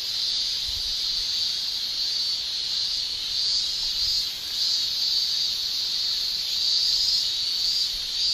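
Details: Japanese summer cicadas in full chorus: a continuous, piercing high-pitched shrill that wavers slightly. There is a brief dip in volume around the middle, then it rises again. Faint low thumps lie underneath.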